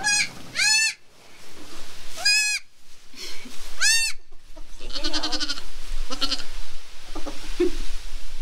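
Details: ['Newborn goat kid on a small farm, just born, bleating: three loud wavering harmonic bleats in the first three seconds, then rustling, scuffling and soft bedding noise with faint calls toward the end.']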